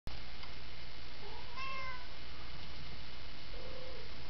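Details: Worried domestic cat giving a single drawn-out arched meow mid-clip, with a couple of fainter, lower mews before and after, over a steady loud low hum.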